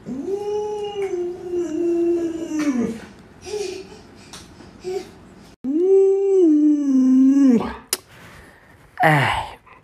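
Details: Two long, harmonic howls from Luoluo, a pet Alaskan Malamute. Each holds a fairly level tone for about two seconds before sliding down. Brief rustles and soft indoor noises sit between them.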